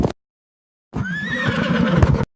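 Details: Horse neighing: a single whinny lasting about a second, with a high clear tone that rises, then slides down into a rougher, wavering close.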